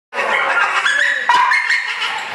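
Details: Char Siew, a dog at the vet for a blood draw before training school, squeals in protest at the needle: a loud, sustained, high-pitched wail with strained harmonics that bends and wavers without a break.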